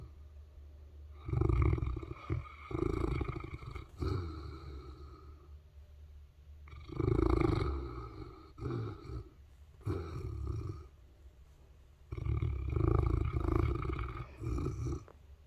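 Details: Sleeping Saint Bernard snoring: deep, low rumbling inhalations in three long bouts about five to six seconds apart, each a rough, throaty drawn-out snort with shorter breaths between, in a quiet room.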